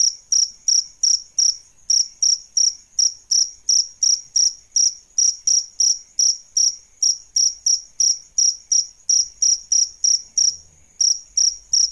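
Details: Adult crickets, a male and a female, chirp steadily: sharp high pulses about three per second, near continuous throughout, with faint low knocking near the end.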